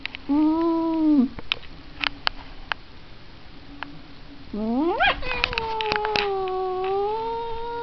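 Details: Cat giving a short steady yowl, then after a quiet gap with small clicks, a sharply rising wail that settles into a long, level, drawn-out moan.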